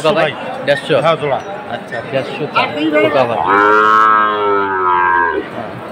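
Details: Sahiwal bull calves at a Jessore cattle market in Bangladesh, 29 October: after chattering voices, one long, steady, deep moo holds for about two seconds, with crowd talk around it.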